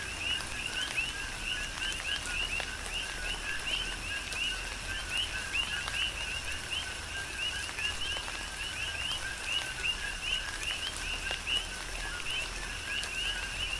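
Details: Coqui frogs calling in a tropical rain shower on the Big Island, Hawaii: a dense chorus of two-note calls, a lower note followed by a rising higher chirp, repeated by many frogs over steady rain patter and dripping.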